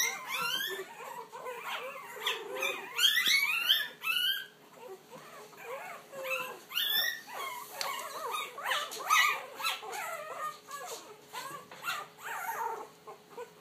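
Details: Puppies finding their voice: a busy chorus of overlapping high, arched yelps and short wavering howls, dense bursts around three to four seconds, then scattered squeaky cries continuing throughout indoors.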